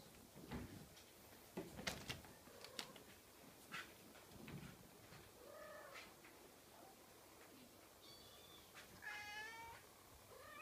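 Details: Scottish Fold kitten giving thin high meows, the clearest near the end with a wavering, stepped series of notes, mixed with clicks and handling thumps indoors.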